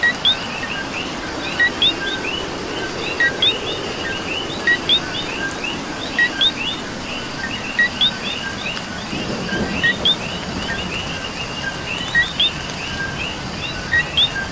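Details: Rain-soaked night chorus of coqui frogs in Puerto Rico, with a steady stream of overlapping two-note chirps from many callers, a louder rising whistle recurring throughout, and a gentle wash of rain beneath.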